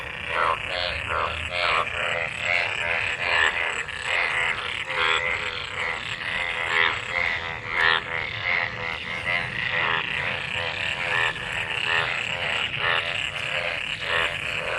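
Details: Many frogs gathered in rain-filled water after monsoon rain, calling while mating: a dense chorus of harmonic croaks stacked between about 500 and 3,000, pulsing rapidly and overlapping continuously throughout.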